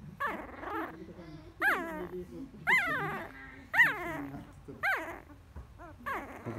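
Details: Nine-day-old field-type Labrador Retriever puppy, newly born, petted in a person's palm and starting to growl: short squeaky rising-then-falling calls about once a second, with a man's voice speaking softly in between.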